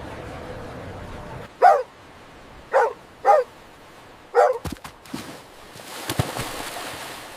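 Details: Dog barking during play on fresh green grass, described as puppies running and play-fighting: four short, clipped barks spaced about one second apart, followed by clicks and handling noises.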